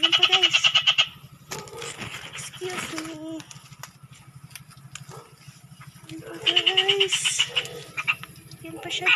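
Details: Frog found during a search, giving two loud one-second bursts of rapid, buzzy pulses, high-pitched with ringing overtones, separated by about five seconds of quieter talking and rustling.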